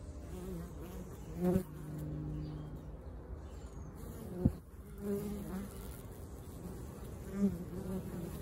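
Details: Bees at a bee sanctuary, where they are rehomed and make propolis to coat their hives. A steady low hum runs throughout, with louder buzzy passes near the start, middle and end as individual bees fly close.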